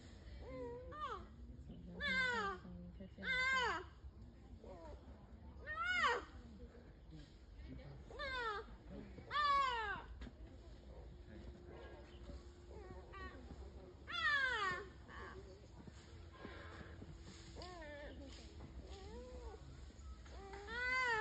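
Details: Two-and-a-half-month-old giant panda cubs squealing: high, harmonic arching cries in short bursts, some doubled, separated by pauses of a second or more, over a steady low hum indoors.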